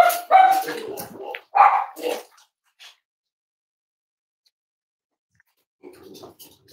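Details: Cavalier King Charles Spaniel indoors at Red Barn Cavaliers during a chilly Thursday morning livestream with moms, dads and five-week-old puppies; a burst of high, tonal yapping barks in the first two seconds, then silence and faint rustling.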